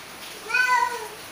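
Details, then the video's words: Domestic cats, a male and a female, fighting and angry: one drawn-out meow lasting about half a second, its pitch arching up then sliding down, with a quiet room background. "Female cat male cat fight and angry | meow meow meow"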